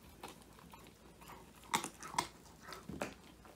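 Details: Woody, a male Old English Sheepdog born in 2019, eats his first treat, a whole handmade quail, indoors; a phone captures a few sharp crunching bites spaced irregularly amid soft room noise.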